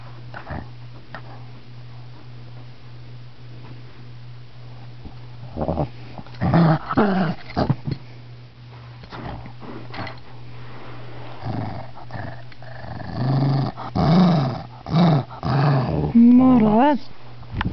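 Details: Shih Tzu disturbed while napping, growling indoors: quiet at first, then rough rumbling growls from about six seconds, building to loud repeated snarls and a rising whine near the end, over a steady low hum.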